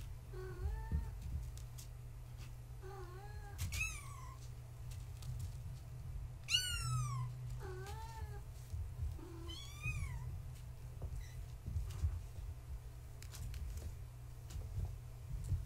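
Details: Bedtime with Gaia's young kittens, born March 14, 2017, indoors with their tabby mother. Repeated thin kitten mews come in short bursts every one to two seconds, some rising then falling, with soft rustling and a low hum underneath.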